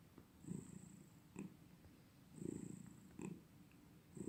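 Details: Domestic cat purring close by: soft, low rumbling bursts that swell and fade in a slow breathing rhythm, about one every two seconds, with a faint high electronic whine in the background.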